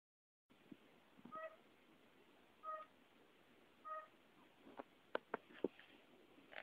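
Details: A pet fire-bellied toad calling quietly gives soft, mellow, musical hoots spaced roughly a second apart.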